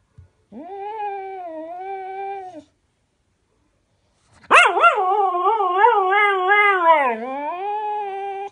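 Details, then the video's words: Pet dog howls out of loneliness for its owner, who is away on holiday: a steady two-second howl, a pause, then a louder, wobbling howl of about four seconds that dips low midway. "the talking dog isn't happy!"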